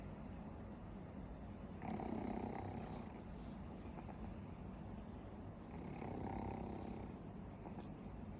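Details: Pug named Warabi asleep and snoring; two drawn-out, gravelly snores about four seconds apart, each lasting over a second, with steady low background rumble between them.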